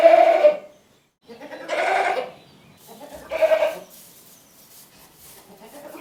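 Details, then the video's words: Goat bleating three times in quick succession, nasal and wavering, the last one trailing into softer mixed noises and faint background hiss. "Funny Goat Sounds"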